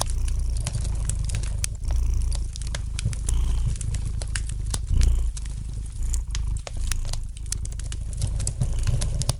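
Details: Domestic cat purring gently beside a fireplace, a steady low rumble that swells and eases in roughly one-second pulses, with sharp crackles and pops from the burning fire scattered throughout.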